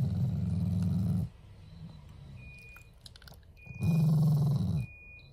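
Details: Shiba Inu growling as a sign of affection toward its owners: two short low rumbling growls separated by a quiet pause, with faint thin tones in the background.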